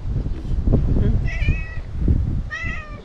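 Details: Two short, fairly soft meows from Imouto-chan, a talkative stray cat, set against heavy low-pitched rumbling and thumping noise.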